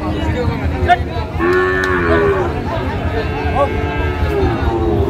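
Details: Sahiwal bull calves at a crowded cattle market in Chittagong, Bangladesh, on 28 February 2025, where a farmer buys stock; a drawn-out, tonal moo rises and falls mid-clip over steady crowd chatter and haggling voices.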